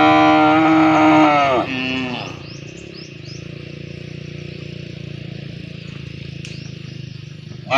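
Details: A cow calling for a partner to mate gives one strong bellow of under two seconds that drops away at the end, then steady low mechanical hum with faint high chirps.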